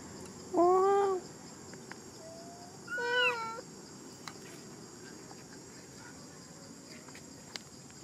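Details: Crying monkey: two drawn-out, tonal wails about two seconds apart, the first slightly arched and the second bending downward, over a steady high background hiss.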